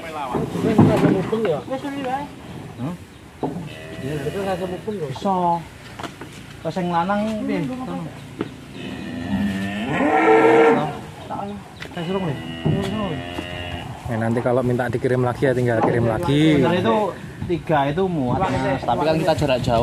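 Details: Agitated cattle that have slipped their rope during a delivery of three big animals at Mlinting, Tempel, Sleman, nearly bolting. Repeated lowing with a strong, drawn-out moo in the middle, much overlapped by people talking and shouting.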